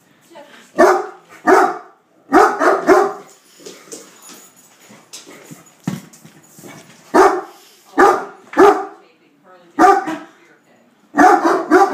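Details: Great Dane named Hurley attacking a beer keg: loud, deep barks come in pairs and short bursts spread over twelve seconds, with quieter rustling and a man's voice in the gaps.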